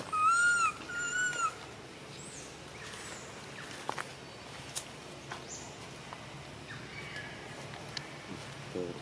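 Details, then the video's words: A little monkey cries when its mother does not care for it. Two quick, thin arched whistling cries open the recording, followed by quiet with scattered soft clicks and rustling. "The most pity poor little monkey crying non stop when mom not care"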